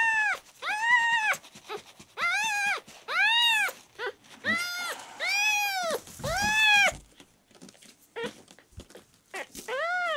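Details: Red tabby and white male kitten Miel, rescued as a newborn and dehydrated after ten days of not taking milk, lets out strong, sustained meows about once a second, each curving up and down in pitch, with a brief scuffle midway.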